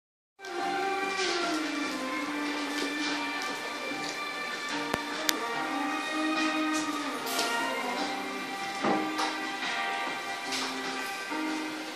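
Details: Steady instrumental music with sustained tones and a couple of sharp clicks fills the recording, and no animal voice is heard.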